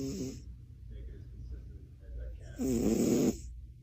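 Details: Sleeping cat snoring: two rasping, broadband breaths, a short one at the start and a louder, longer one near the end, separated by a quiet low hum.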